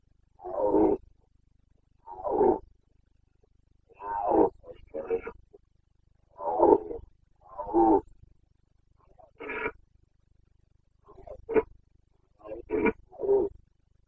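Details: Carpathian stag during the Bucovina breeding season, forests and clearings at rut time: a series of gruff, paired grunting roars, the later ones shorter and choppier, separated by brief pauses.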